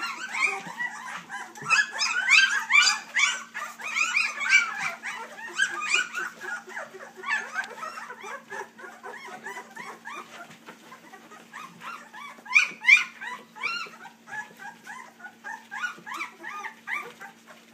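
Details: Three-week-old puppies of a Dixie and Colby litter keep up a rapid, overlapping stream of thin squeaks and whines, louder at first and in bursts near the middle, then trailing into softer scattered whimpers over a faint steady hum.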